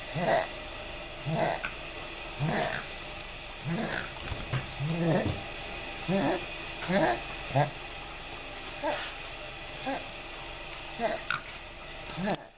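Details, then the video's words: After a long outdoor walk, a pug makes funny noises, a steady series of short, husky snorts and grunts, roughly one each second, each a brief throaty burst over a quiet indoor background. "Binky Makes Funny Noises - Binky The Pug"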